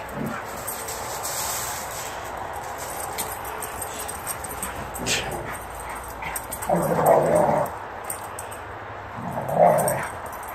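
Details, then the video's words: Two pet dogs, Gator and Luna, wrestling in play outdoors after midnight once let out; brief whining, growly yelps rise near seven and again near ten seconds over a steady background hiss, with scuffling between. "Gator and Luna wrestling after midnight"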